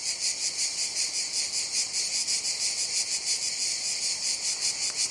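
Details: Cicadas producing a loud, shimmering high buzz broken into quick rhythmic pulses, roughly three per second, steady throughout.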